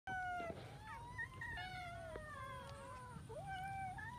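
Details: Several cats eating rice with fish, giving many overlapping meows, some long and falling, others short and rising, over a steady low hum and faint clicks.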